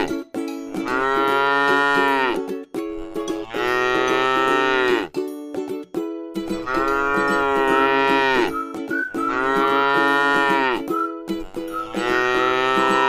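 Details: Tame cow eating grass in a rice field, lowing in a string of five similar moos about every two and a half seconds, each rich and nasal, over continuous background music.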